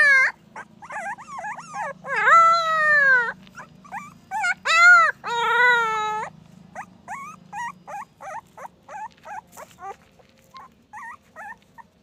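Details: Puppy starting with wavering whines, rising into several long, loud howls around the middle, then trailing off into quick, rhythmic short yips that grow softer.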